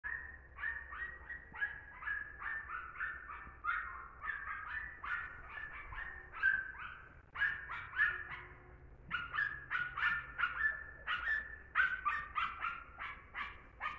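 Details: German Hunting Terrier giving a long run of high, tonal yelps, rapid and uneven, several per second, some drawn out into short wavering whines, with a faint low hum underneath.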